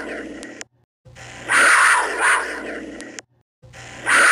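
A cougar gives harsh, raspy, drawn-out calls broken by abrupt gaps of silence.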